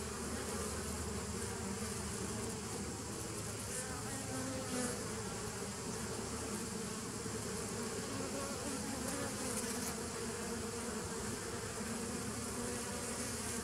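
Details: Dense, steady droning of many honey bees, 27 September 2018, low humming bands beneath a broad hiss, constant level with a couple of brief brighter bursts.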